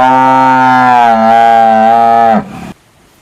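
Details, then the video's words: Single sustained cow moo, loud and steady with rich harmonics, holding level for over two seconds before dropping away abruptly into near silence. "Tiếng con bò kêu ỤM BÒ/ The sound of a cow mooing"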